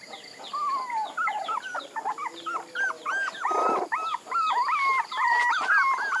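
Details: Several puppies whimpering, with arched, slightly rising-and-falling whines that come in quick, uneven runs. One brief noisy scuffle breaks in partway through.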